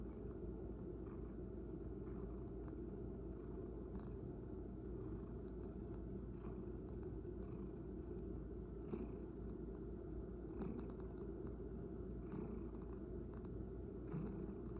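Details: Male rescue cat living indoors with an elderly woman, purring in a steady low rumble throughout, with faint light rustling and occasional soft clicks above it.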